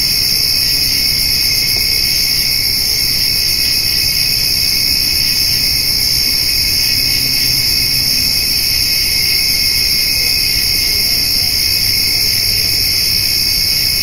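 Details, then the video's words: Crickets and grasshoppers on a summer evening where a doe and her fawn are eating hay; an even, ceaseless high trilling chorus in several pitch bands, no pauses, a faint low murmur underneath. "Cricket and Grasshopper Sounds"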